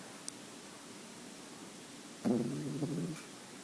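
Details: Young female French Bulldog, nine weeks old and creamy white, giving a single rough, buzzy snore of under a second after a stretch of near silence.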